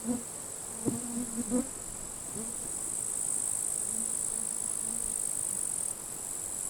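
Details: Grasshoppers fighting in withered grass at a forest edge on a sunny, windy late-July summer day; a steady, very high hiss of crackling runs throughout, with a few low knocking sounds early on and a soft wash of wind.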